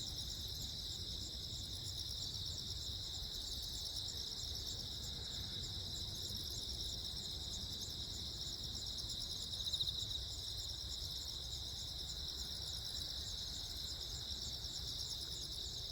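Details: Jeju Island crickets, South Korea, recorded 15 August 2024 while lightning flashed: continuous high-pitched pulsing chirps in overlapping bands form an even chorus, over soft low rumbling and a faint brief knock near the middle.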